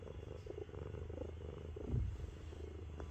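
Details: A heavy 7.5 kg pet cat named Miru lies on a person's belly and purrs, its rumble likened to a tank. Deep rhythmic purring comes in quick pulses, with one louder thump near the middle.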